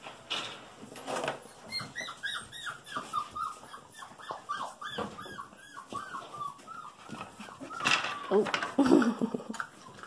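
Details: Golden Retriever puppies, female littermates just over five weeks old, named Desert, Martini, Oasis and Cameo, whimpering indoors: a quick series of high, arched, whining notes about twice per second, with a person's voice and scuffling nearby.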